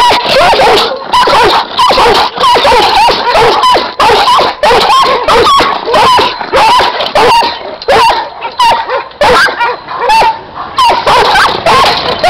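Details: Barking from Giant Schnauzer guard dogs: a steady stream of loud, clipped barks and occasional yelps, roughly one and a half per second, with a short lull near the middle.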